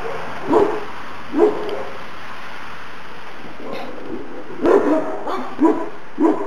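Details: Šarplaninac puppies Valjana and Oleon at two months old, New Year's Day. Short, mid-pitched yapping barks come singly, then in a quicker cluster of four near the end, separated by quiet gaps.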